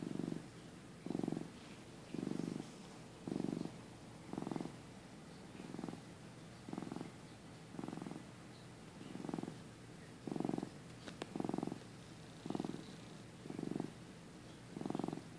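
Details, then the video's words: Young male domestic cat napping in early 2015, before switching to raw food, gives a continuous deep purr; steady throbbing pulses recur about once a second across the recording, otherwise quiet indoors. "Cute Cat Nap Moment"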